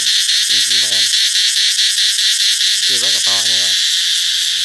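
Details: A cicada sings as summer approaches: a loud, continuous high buzz, pulsing steadily, with two brief low voices in the background.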